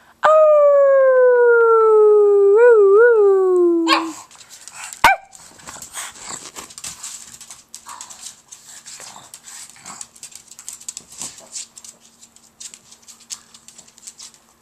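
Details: Pet pug holding one long howl for about four seconds with two brief wobbles in pitch, then a faint rustling, shuffling background.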